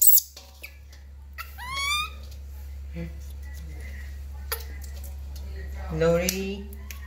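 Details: Lori, a baby monkey, cries during a bath: a quick series of rising, thin wailing squeals early on, then another strained, wavering cry near the end, with scattered knocks and a low background hum.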